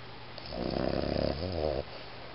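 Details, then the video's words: Iggy, a Boston Terrier, snoring: one long, low, throaty snore made of rapid rattling pulses, then a shorter wavering phase before it stops, with quiet room hiss around it. "ボストンテリア イギー いびき"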